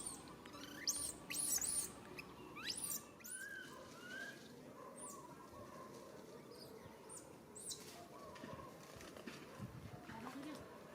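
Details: Young monkey crying out for its mother's help: a few sharp, very high arched squeals early on, then softer, lower wavering calls over steady outdoor rustle.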